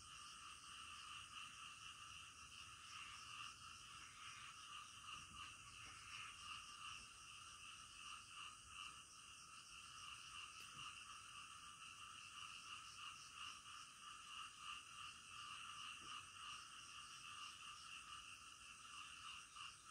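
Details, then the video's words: Midnight frog chorus heard for twenty seconds: many frogs giving fast, overlapping pulsed croaks without pause, with faint clicks and a constant high-pitched background hiss. "SUARA KODOK DITENGAH MALAM"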